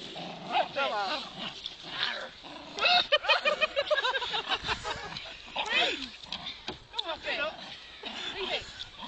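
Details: Jack Russell Terrier dog trying to steal a snow sledge, giving high squealing whines and grunting yelps with rising and falling pitch in short bursts, over frequent human speech.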